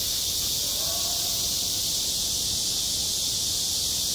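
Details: Cicadas singing at a school playground in midsummer: a dense, unbroken high-pitched hiss holds steady throughout, while faint distant voices drift briefly underneath around the first second.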